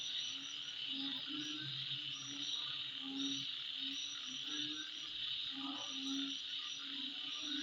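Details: Midnight insect chorus, an unbroken shrill hum over the whole stretch, accompanied by brief low tonal notes repeating irregularly underneath and scattered sharp high chips.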